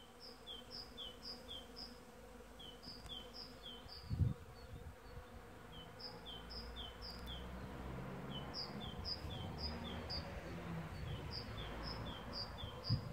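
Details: Early-season western honey bees (Apis mellifera) give a steady low droning hum while a bird chirps in high, repeated phrases behind them.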